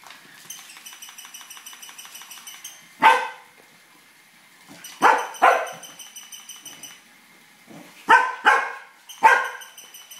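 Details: Tibetan Terrier chasing a toy rat. It gives six sharp, loud barks in three bursts, mostly in close pairs a fraction of a second apart. A steady, pulsing electronic whirr from the toy runs underneath.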